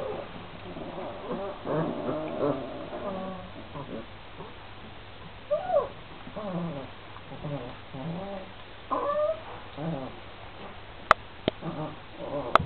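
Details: Twenty-six-day-old Šarplaninac pups, a litter of three males and five females, keep up a steady chorus of thin wavering whines and squeaks, with brief louder cries midway and a few sharp clicks or knocks near the end.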